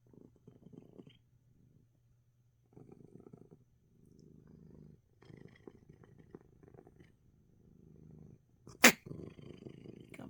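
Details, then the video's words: Ailing house cat relaxing and purring through its sneezes; quiet rumbling purr in short separated bursts, then one sharp loud sneeze near the end followed by more purring. "#in #spite #of #the #sneeze #coco #is #purring #a #storm #and #relaxes #for #a #youtube #cat #video"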